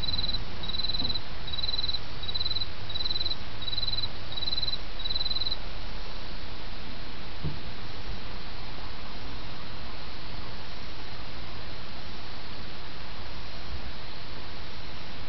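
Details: Insect song in autumn over a babbling brook: about seven brief, high, pulsed chirps at an even pace for the first five seconds, then only the steady rush of the stream continues.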